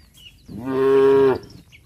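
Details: Close, clean moo from tame cattle walking back to the shed in a village, calling to herd mates: one smooth, level, sustained tone under a second long, with faint bird chirps around it.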